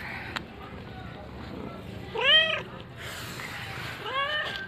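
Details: Cat drinking milk alongside a baby, giving two drawn-out, arched meows that rise then fall, about two seconds apart, over a soft indoor background hum with faint human voices.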